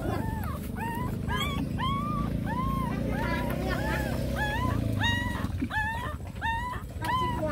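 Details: Puppies nursing from their mother dog, giving repeated arched whining yelps about every half second over a steady low rumble and a person talking.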